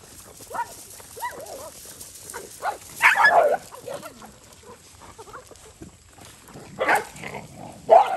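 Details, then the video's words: Stray dogs fighting while eating rice near a road on a farm in Cambodia, some with puppies; scattered short yelps and snarling bursts, louder clashes around three seconds and again near seven and eight seconds. "Dogs fight when eat rice near road"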